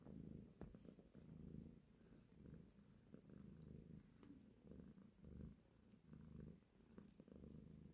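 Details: Mother cat purring while nursing and caressing her kittens, a steady low rumbling purr that swells and fades in rhythmic pulses with short breaks for breath.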